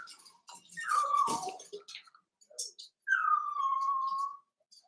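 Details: Daisy's seven-week-old Cavalier King Charles Spaniel puppies in an indoor pen at home; a falling whine with rustling, a short pause, then a long drawn-out whimper that sinks slowly and holds.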